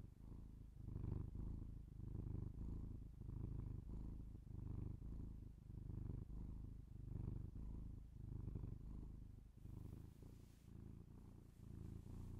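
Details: Low, continuous purr of a house cat recorded binaurally for ASMR, pulsing with slow in-and-out breaths roughly once a second; a brief soft hiss of rustling near the end.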